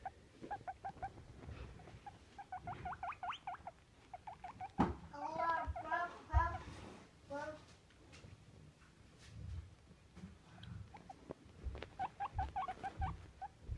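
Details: Happy pet guinea pig squeaking: rapid series of short, bright squeaks in repeated runs, with a louder wavering burst near the middle and a softer voice murmuring in the background.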